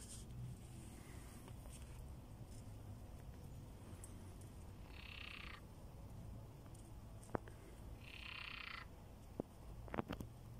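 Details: Several frogs call from a pond with tadpoles, a good habitat for them, during a rescue of toads and snakes from a trap; two short, rasping, buzzy croaks sound over a low background rumble, with a few sharp clicks.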